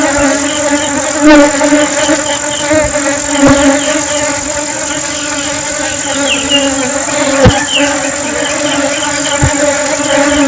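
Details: Honeybees in flight hold a constant deep buzz rich in overtones. Faint, short, high chirps flicker above it, and a few sharp clicks cut in.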